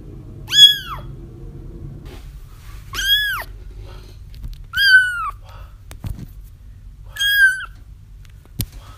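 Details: Kittens crying, a recording meant to lure a feral mother cat into a trap: four high, arched mews with rich harmonics, each about half a second long and spaced roughly two seconds apart, over a low steady hum with a couple of clicks.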